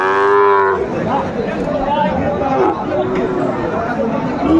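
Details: Sahiwal bull calves for sale at the Aftabganj cattle market in Joypurhat, Bangladesh, on Saturday 17 August 2024: a loud, drawn-out, richly harmonic moo under one second long opens, then crowd murmur and chatter.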